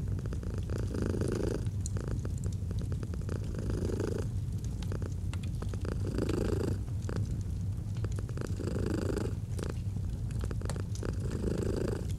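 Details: Feline purring beside a fire, cozy autumn mood: a rhythmic low drone alternating between louder and softer phases about every two seconds, over a bed of popping, crackling logs.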